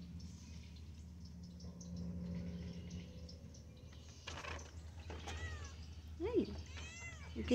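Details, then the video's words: Shanti, a female pet cat, talks back to her owner: several short rising-and-falling meows cluster near the end, the last two loudest, over a steady low indoor hum with a human voice nearby. "Cat loves talking back at human"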